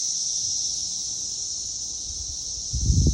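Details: Cicadas recorded in 2021: a steady, high, hissing buzz holds without a break, with low rumbling noise rising near the end.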